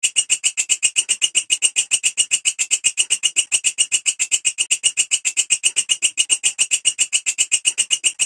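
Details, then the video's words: Steady, unbroken grasshopper chirring from a belalang kecek or walang kerik, a dense run of crisp, buzzy pulses several per second, high-pitched and unchanging throughout, with no other sounds. "Suara Belalang Kecek / Walang Kerik"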